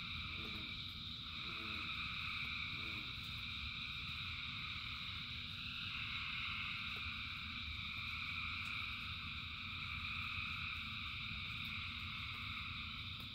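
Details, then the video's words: Thousands of frogs singing in rain form a dense, continuous droning chorus in layered high bands, with a few low pulsed croaks early on, over a steady low rumble of rainfall. "Frogs in Rain 2 Hours of Frogs, Thousands of Frogs Singing"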